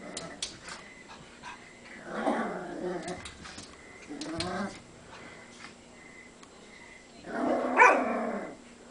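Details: Cavalier King Charles spaniel puppy indoors, growling at his own reflection in a mirror: three rough, harsh growl-bark bursts come about two seconds apart, with quiet room noise between them.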